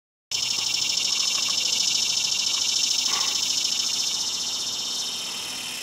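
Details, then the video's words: A cicada singing at PCP on 3 September 2020, possibly from a 17-year emergence: a loud, steady, high buzzing drone with a fine rapid pulse starts abruptly after a brief silence and holds to the end. "Cicada Singing"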